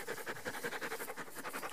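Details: Five-week-old Rat Terrier puppy named Monte panting steadily, soft breathy huffs about five per second in an even rhythm, with quiet indoor background.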